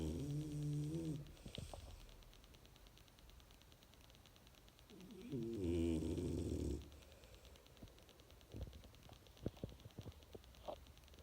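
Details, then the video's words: French Bulldog snoring: two loud, rasping, throaty snores about five seconds apart, each lasting a second or more, with quieter snuffling breaths and faint clicks between them indoors. "Как храпит Французский Бульдог"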